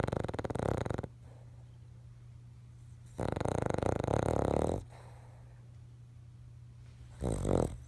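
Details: Dreaming King Charles Spaniel snoring in sleep, three harsh, fluttering snores, the middle one longest, separated by quiet gaps of about two seconds, a faint steady low hum underneath.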